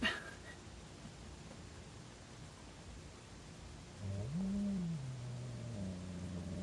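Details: Female cat Hazel growls at Lenny, her brother, after two years of relative peace between them; after four quiet seconds a low moaning growl rises, dips and carries on wavering, steady background hum underneath.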